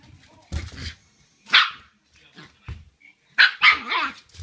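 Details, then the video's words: Young Shiba Inu at home greeting its returning owner by barking nonstop at the owner's feet, seemingly upset by their smell; loud bursts of sharp, bright barks spaced unevenly with short pauses, plus soft thuds and indoor room sound. "足の臭いに激怒して吠えまくる柴犬 〜 The dog which is angry at the smell of the foot 〜"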